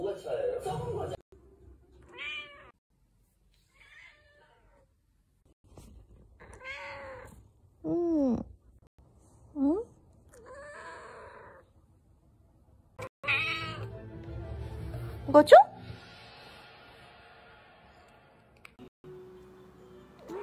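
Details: Domestic cat indoors in a small room giving several short curved meows spaced a few seconds apart, mixed with a woman speaking Korean to it about food and telling it to come down.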